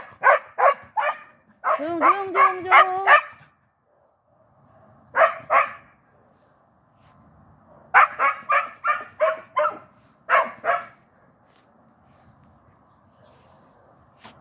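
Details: Border Collie, one of a pair, reacting as its partner is walked separately: bursts of rapid, high yelping barks, then a sustained wavering whine under a quick series of yips, followed by further clustered barks and pauses.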